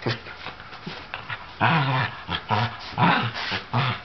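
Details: Sable Shetland sheepdog, the older pet, barks and growls at a younger ginger tabby cat in play: low, throaty woofs that get louder after the first second and repeat roughly every half second.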